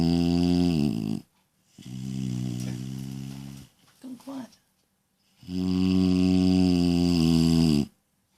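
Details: A little female dog snoring loudly while asleep: three long, droning, nasal breaths with a buzzy, harmonic tone, each lasting one to three seconds and separated by short silent pauses, with a faint soft sound between them.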